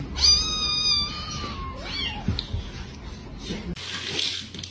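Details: Kitten crying with one high, thin, steady meow held for over a second at the start, then quiet indoor rustling and a faint hum.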